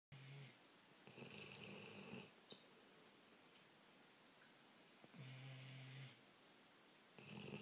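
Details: Two Labrador Retrievers snoring while asleep on a couch, trading snores back and forth; quiet, rough droning snores in bursts of about half a second to a second, separated by pauses, in a still room.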